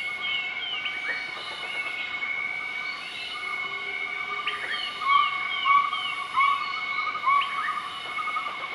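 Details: Southern white-cheeked gibbons in Nakai-Nam Theun National Protected Area, Laos, duetting a morning call, 20 March 2014: distant upswept whistles and short rising notes repeated roughly once a second, backed by a constant high insect hum.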